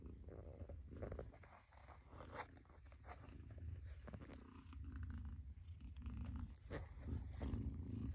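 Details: Mother cat purring: a steady low rumble with rhythmic pulses, swelling and easing with each breath, plus a few soft rustles and faint higher hiss.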